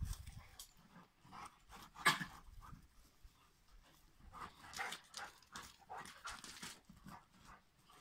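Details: Rhodesian Ridgeback couple playing: quick irregular panting breaths with airy bursts, a sharp click near the second mark, and soft rustling movement in between.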